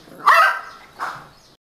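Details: A 50-day-old beagle puppy barking for the first time gives two short, high, slightly hoarse barks, the first louder than the second.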